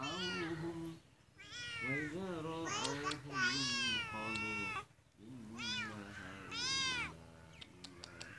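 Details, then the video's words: Loud, insistent meows from a cat, long arching cries repeated every second or so with brief pauses, some rising then falling, a few sharp clicks near the end over a low background hum. "cat animals sound videos"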